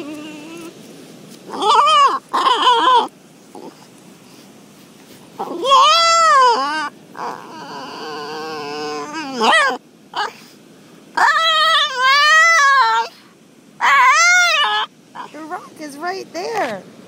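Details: An 11-month-old female French Bulldog 'talks' at her rock in wavering, yowling whines that rise and fall, sounding dismayed, like "Oooh MAMA!", with a woman speaking between bursts.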